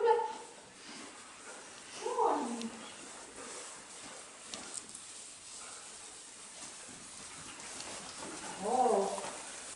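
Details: Neo, a dog on his first day herding sheep, barks out of annoyance at the stick rather than at the sheep; three short, harsh, downward-sliding barks come at the start, after two seconds and near the end, over a quiet outdoor background.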